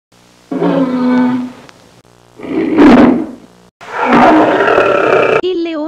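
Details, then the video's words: Lion roaring: three loud, rough, harmonic bursts of one to two seconds each, separated by brief silent gaps, the last one longest and broadest. "IL VERSO DEL LEONE"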